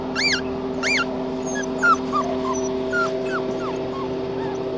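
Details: Red tri male Australian Shepherd puppy whining: two loud, arched, high whines near the start, then a string of softer, shorter falling whimpers. A steady background hum runs throughout.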